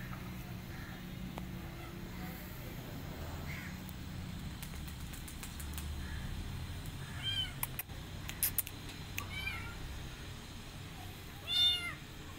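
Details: Rescued kitten, a female, calling after her rescue: a few thin, high-pitched meows, arched in pitch, coming at intervals and growing louder, the strongest near the end, over a steady low rumble of background noise.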